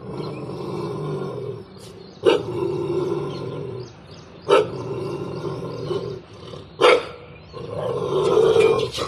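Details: Pet dog on a terrace barking at another dog: a long rough growling snarl broken by sharp loud barks about every two seconds, with a person's voice heard shortly after.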